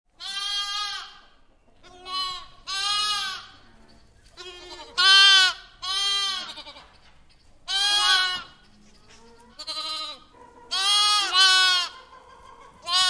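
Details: A lamb in a barn bleating loudly and repeatedly: about eight wavering, nasal bleats with rich harmonics, some short and some drawn out, separated by brief pauses, with a quiet room background.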